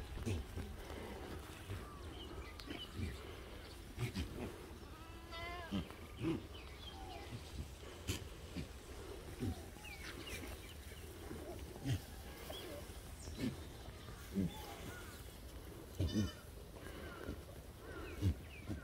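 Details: Black goats at a farm in Gimhae, South Korea, on Thursday 17 June 2021: occasional faint wavering bleats among farm noise, with people talking and a steady low rumble throughout.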